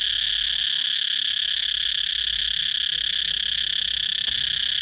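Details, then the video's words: Unbroken shrill buzzing of a cicada, an even high drone at steady loudness, with a single brief click near the end. "cicada chirping sound"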